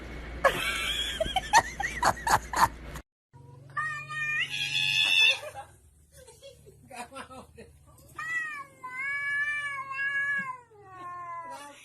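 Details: Domestic cat meowing, with long, drawn-out, wavering meows and shorter cries in between, after an opening burst of loud music and human voices.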